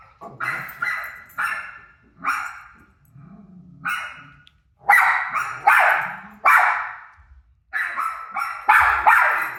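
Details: Rosie the dog keeps barking at her barking self on TV, a long string of about fifteen rough barks, some doubled, grows louder midway, with low thumps and short pauses between bursts.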